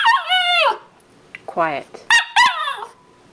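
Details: Dog that does not want to go into its crate for an afternoon nap and wants to keep playing: several high, wavering whines and yelps, some falling in pitch, with a person talking nearby.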